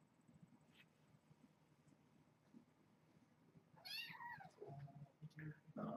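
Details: Kitten in a litter of foster kittens indoors during evening play time, giving one loud high mew that falls in pitch, followed by softer short squeaks, with low rustling and handling noises.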